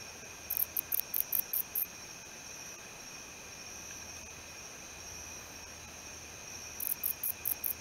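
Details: Male Odontoxiphidium apterum, the wingless meadow katydid, calling with two quick runs of six very high, hissing buzz pulses about a fifth of a second apart, separated by five seconds of near silence over a faint hum.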